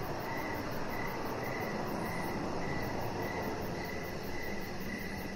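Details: Crickets chirping outdoors on a deck in the evening: short chirps repeat steadily about twice a second, with a faint, fast high pulsing above and a constant low rumble beneath.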